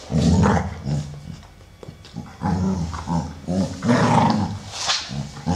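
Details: Two American Staffordshire Terriers, a 12-year-old brown male and a grey female of one year eight months, playing; low rumbling growls come in bursts with short gaps, plus snuffling and scuffling noises.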